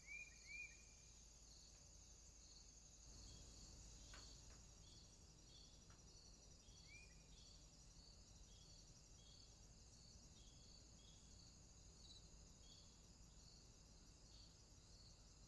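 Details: Insects calling in summertime: a high continuous drone with fast, regular pulsing, a few brief whistled notes at the start and a soft thump partway through.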